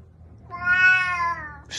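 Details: A domestic cat in a grumpy mood makes one loud, long, whining meow that swells and then fades, ending in a short rustle. A person nearby speaks Russian about being bitten.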